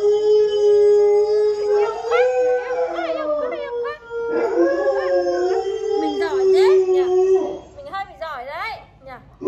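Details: Alaskan Malamute pet dog joining a wolf-howl clip played online, producing a sustained, even howl overlapped by wavering, looping howling voices and some human chatter.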